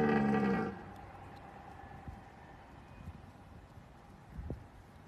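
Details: Deer. A deer lets out a brief, deep, tonal bellow with rich stacked overtones, lasting under a second. The rest is quiet outdoor background noise with a few soft knocks.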